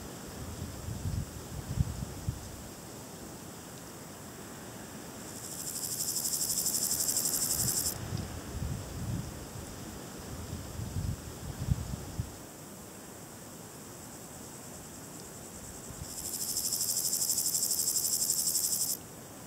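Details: Variable Chorthippus grasshopper (Chorthippus maritimus) stridulating in two bursts of about three seconds each. Each burst is a high, dry, rapidly pulsed rasping buzz, separated by a long pause. Soft low rumbling background noise is heard between the bursts.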